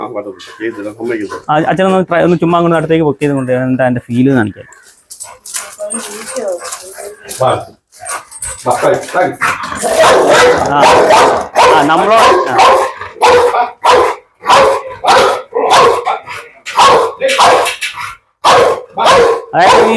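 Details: Pet pit bull, said to be liable to bite and tear, during a dog challenge: a man speaks for several seconds, then a long run of rapid, harsh barks, more than one a second, fills the rest.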